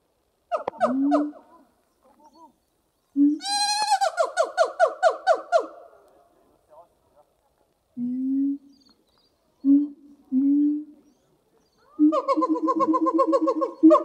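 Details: Two caged siamang gibbons singing at Zoo de La Flèche on a hot summer morning, 6 August 2018: short bursts of deep, hooting notes and rising, barking whoops separated by pauses, with a quickening series of loud barks at the end.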